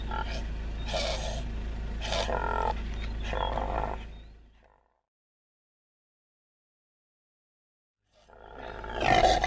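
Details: Impala giving rasping, roar-like bursts repeated several times a second over about four seconds, then silence before one loud harsh burst returns.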